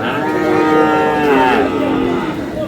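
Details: Sahiwal bull sold to a Kurigram farmer at a Bangladesh market, 5 May: a drawn-out, steady lowing moo fills the whole stretch, slightly wavering and falling at the end, with faint crowd noise.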